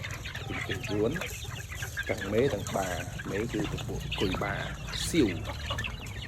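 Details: Gamecocks and hens kept on a farm for breeding fighting birds: bursts of nasal, stacked clucks rising and falling every second or so, mixed with high peeps and a man's voice in the background.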